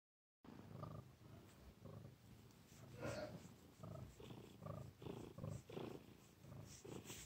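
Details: Missy the cat purring, a low rumbling sound pulsing in steady rhythmic bursts of under a second each with the breath, some faint higher rustling noise above.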